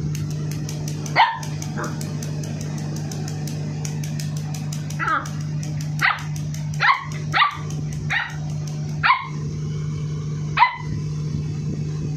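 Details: Aggressive 58-day-old Labrador Retriever puppy named Ronnie barking: sharp, high yappy barks, one early, then about seven spaced every second or so in the second half, while a person repeatedly says "no" and "good boy" over a steady low electrical hum.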